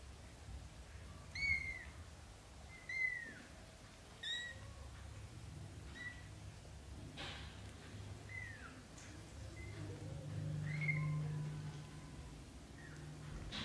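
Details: British shorthair kittens in their first 30 days, a litter of black golden and blue golden young born to Samel and Leo, giving thin high mews that bend downward, repeated roughly every one and a half seconds, then softer and scattered, over low indoor hum.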